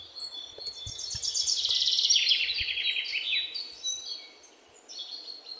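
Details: Indian palm squirrel, known in Sinhala as lēnā, calling with a rapid run of sharp, high chirps that sweep downward, about three or four per second, swelling in the middle and then fading, with faint rustling below.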